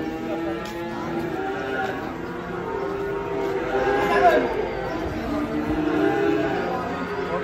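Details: Huge, fat cattle being unloaded from a truck, one giving long, drawn-out lowing moos with rich harmonic tones that swell and waver almost continuously, over faint human voices and outdoor background noise.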